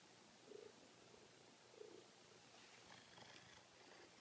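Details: Large Maine Coon cat purring quietly while having its belly rubbed: two faint breathy rumbling pulses over steady background hiss.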